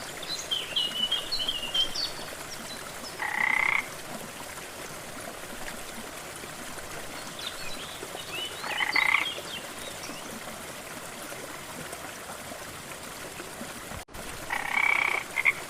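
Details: Beside a jungle waterfall in lush rainforest, a frog repeats short rattling croaks made of quick pulses, three calls spaced several seconds apart, over steady water noise and occasional high chirping.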